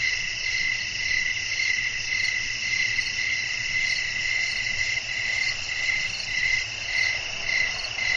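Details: Night chorus of crickets with wind blowing: rhythmic high chirps about twice a second layered over an unbroken, piercing insect trill from several callers.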